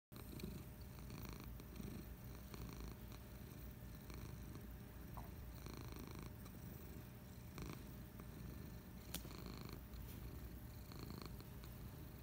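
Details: Patches the cat purring while resting on a couch on a Friday afternoon: a steady, low, rumbling purr with a pulsing texture that runs unbroken through the whole recording, with faint soft clicks above it.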